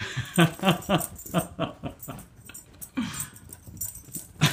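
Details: Female pet dog greeting her returning owner with great excitement, a rapid run of breathy, whining yelps and grunts repeated about four times a second, pausing briefly before a final burst.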